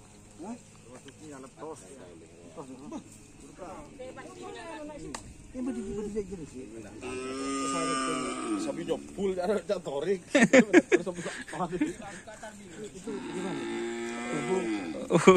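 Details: Cattle at a karapan sapi bull race training in a field at Asemanis; a run of several moos, some wavering and bending in pitch, others long and steady, with sharp knocks and clatter and crowd noise in between.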